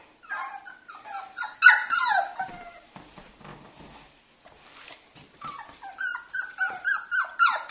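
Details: Cockapoo puppy siblings giving bursts of thin, high-pitched whimpers and squeaks. A quieter, scuffling pause in the middle is followed by renewed rapid whining.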